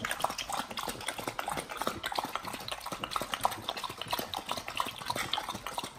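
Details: Pit Bulls eating a raw-fed BARF combo of raw beef trimmed chunk, quail egg and duck wing, recorded close for ASMR: dense wet crunching and smacking bites, irregular bursts of clicks roughly every second and a half, no other sounds.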